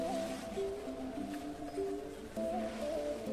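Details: Melodic instrumental music with sustained tones and sliding notes over a soft background hum; no animal sound is heard.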